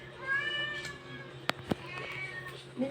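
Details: Persian cat giving birth, calling indoors: a drawn-out, tonal meow that rises and then falls over about a second, a fainter second meow after it, two sharp clicks in between, and quiet voices in the background.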